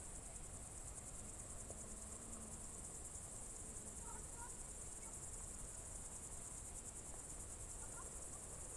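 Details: Crickets on a June 2023 evening in the Novye Buregi tract, Novgorod Oblast: a steady, dense, high-pitched pulsing trill that never pauses, with a few faint short bird notes in the background.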